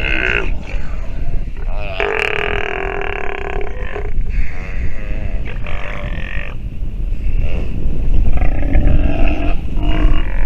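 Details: Sea lion pup calling while nursing, giving rough, throaty grunts and groans with broad harmonic bands, some drawn out over two seconds, under steady low rumbling noise.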